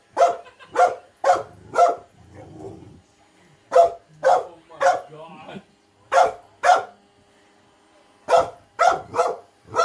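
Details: Female pet terrier frightened of a robot vacuum, barking, running off and coming back: loud sharp barks in bursts of two to four, with short pauses and a low rumble between groups.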